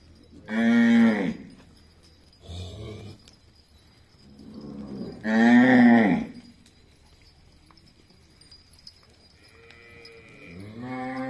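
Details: Cattle at a gaushala in Jhunjhunu, India: loud drawn-out moos roughly every five seconds, with a shorter lower call and a faint bell-like tone between them.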